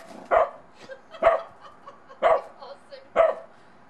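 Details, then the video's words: Bedlington Terrier puppy out in snow for the first time, unsure of a little snowman, giving four short sharp barks roughly one second apart, each a bright burst with a clear tonal core. "BEDLINGTON TERRIER PUPPY UNSURE OF THE SNOWMAN"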